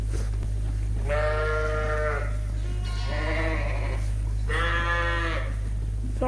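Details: Suffolk lambs and sheep in a barn at about 8:00 at night during feeding, mixed groups; two long wavering bleats about a second each, a softer call between, constant low electrical hum beneath.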